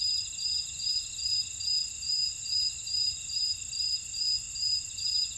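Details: Insect chorus in a buckwheat field at Ora-dong on Jeju Island, South Korea: regular shrill pulses roughly twice each second over an unbroken high whine, no other sounds.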